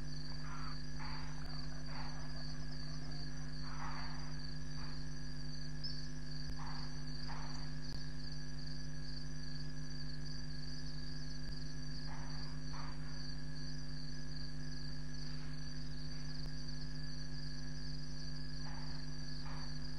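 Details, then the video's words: Leopard sawing near 12:30 a.m. on 7 May 2017 at Djuma Game Reserve, two leopards present. A long series of coarse, paired rasping strokes repeats every few seconds through persistent insect buzz and a steady low hum. "Leopard sawing"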